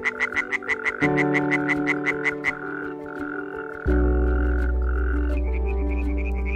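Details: Iberian tree frog (Hyla molleri), European tree frog group, at a pond, giving a rapid run of sharp, rattling pulses over a backdrop of droning music.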